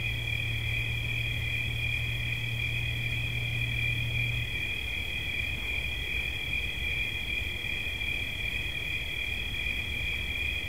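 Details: Crickets trilling in a continuous, steady high-pitched chorus, with two close shrill bands sustained throughout; a low hum sounds for the first four seconds over a faint background rumble.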